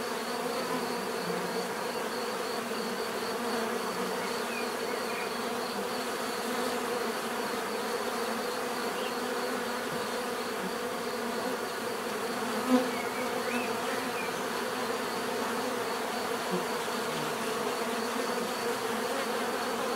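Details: Even, unbroken buzzing of many bees forming a dense low hum for the whole stretch, with a single short sharp tick near twelve seconds and a faint thin high tone running underneath.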